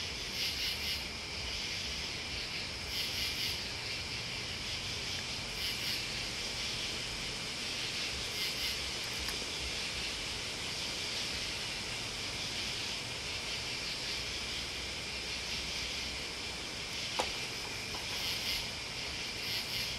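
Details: A massed chorus of crickets and bugs drones steadily, while very high sizzling chirps repeat about every two and a half seconds; a single sharp click cuts through late on.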